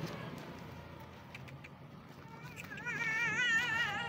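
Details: Street cat that wants to be pampered lets out one long, wavering, harmonic-rich meow near the end, after quiet outdoor background hum.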